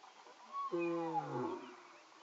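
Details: Two male lions give early-morning calls: a deep, rich moan that swells suddenly, then slides steadily lower as it fades, with faint high whistled notes briefly in the background.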